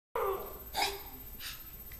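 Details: Puppy coughing after being up all night, indoors in a small room; three short, harsh, broadband bursts about two-thirds of a second apart, the first strongest, with faint breathing between them.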